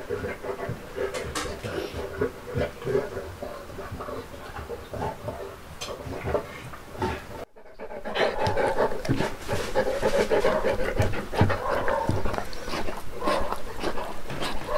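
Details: Uno, a one-year-old Saint Bernard celebrating his first birthday indoors: fast, regular panting throughout, louder in the second half after a brief cut, with faint voices in the background.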